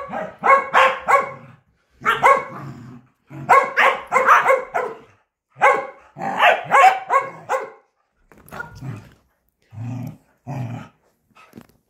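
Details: A corgi playing fetch gives rapid, bright barks in bursts of two to four with brief silences between them; toward the end the barks grow quieter and more spaced out.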